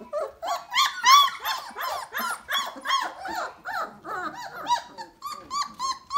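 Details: Basset Hound puppies, a litter 3 weeks and 2 days old in the whelping box, whimpering and squealing together; rapid overlapping high arched whines, about three per second, some trailing into short growly yelps, steady chorus throughout.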